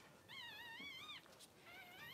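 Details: Cavalier King Charles Spaniel litter indoors as the mother, Daisy, delivers six puppies in two hours: two high, wavering whines, the first long and sliding gently up and down, a short pause, then a second shorter one, with faint room noise.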